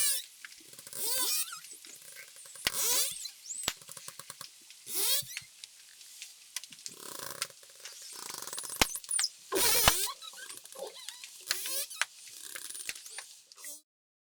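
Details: Dolphins recorded underwater on the Mesoamerican Reef in the Mexican Caribbean near Cancun give high, sweeping whistles that rise and fall, mixed with sharp bursts of clicks.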